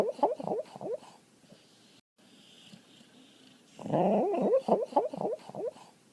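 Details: Dog vocalising indoors: two bursts of quick, wavering whine-like yelps, each note sliding up and down, repeated about four times a second, with a quiet pause between bursts.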